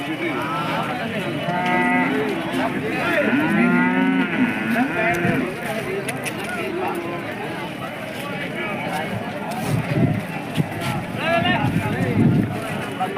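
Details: Hallikar cattle at a weekly Monday temple cattle market during a festival in India. Drawn-out mooing and lowing calls wavering in pitch rise over a busy background of market chatter and crowd noise.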